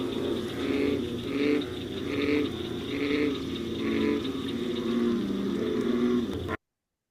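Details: An American bullfrog (Lithobates catesbeianus) calls: deep, resonant, droning notes repeated in a steady series, like a cow with a cold or "jug-o-rum". Finding: American bullfrog.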